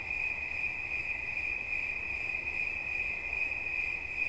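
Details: Cricket chirping in a steady, high-pitched, almost unbroken trill with faint overtones above it, set over a soft low background hum.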